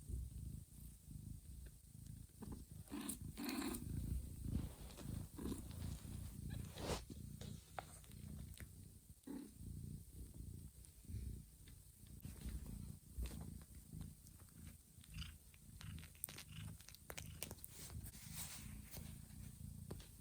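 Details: Mother cat Johanna licks the heads, backs and bellies of her sleeping kittens in a quiet, warm room, waking them to feed. A low, steady, pulsing rumble fills the recording, with sharp soft clicks of licking scattered throughout.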